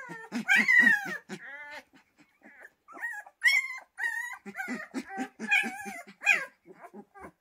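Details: Pyrenean Mountain Dog puppies at Ehrenberger Hof, several young voices overlapping in high, wavering whines and squeaky yelps, with short bursts of low grunting pulses underneath, coming in uneven clusters with brief pauses between them, indoors.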